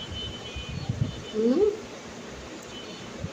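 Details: A domestic cat, spoken to as a mother being bothered by her babies, gives one short, rising, tonal meow with clear overtones, set among a woman's Bengali speech and low indoor background noise.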